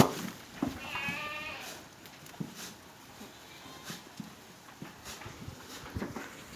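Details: Black Bengal goat on a breeding farm in Pangsha Thana, Rajbari District, as a man calls the animals over: one lower, quavering bleat of about a second, followed by chewing, rustling and light knocks.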